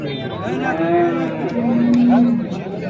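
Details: One long, steady moo, briefly rising and then holding a level tone, from a calf at the Souk Sebt Settat livestock market. Faint voices in the background.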